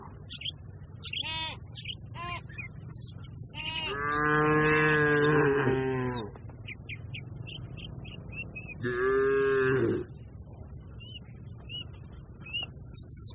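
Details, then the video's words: Cattle in a grazing herd moo in two long harmonic calls, one of about two seconds and a shorter one a few seconds later, over a steady low rumble with faint bird chirps in the background. "Funny Sounds of the Herding Cattle"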